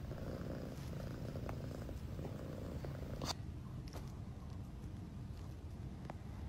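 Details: Domestic cat from a funny-cat compilation purring softly and steadily in a low rumbling tone. A few faint clicks and handling noises are heard close by, with one louder tap midway.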